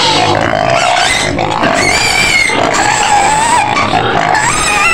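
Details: White pig screaming in its pen on the outskirts of Medan, reportedly wanting food: continuous high, strained squealing with wavering harmonic bands, steady and loud across the clip with no pauses.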